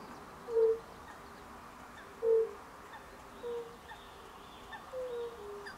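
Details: European fire-bellied toad calling in late March 2024, short pure low hoots repeated every one to two seconds, two loud notes followed by softer overlapping ones from other toads, steady low background noise.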